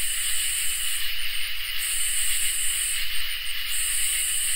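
A dense summer night chorus of crickets and katydids, a steady high shimmering trill with bursts of pulsing.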